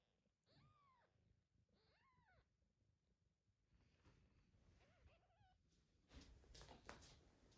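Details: Tiny kitten cared for by its father cat in the mother's absence: two clear, rising-then-falling high meows near the start, a softer wavering meow later, with handling rustles and clicks throughout.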